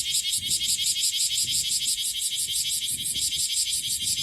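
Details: Cryptotympana facialis, the bear cicada of Okinawa, Japan, calling in summer: intense high rasping drone pulsed in quick regular beats about three per second, continuous across the whole stretch, light low background noise underneath.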